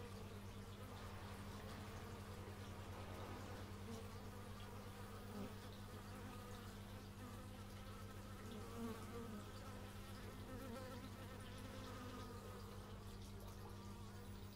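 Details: Humming bees outdoors, recorded in stereo with an x/y microphone, giving a deep, continuous pulsing drone with scattered brief buzzes of individual insects flying close by.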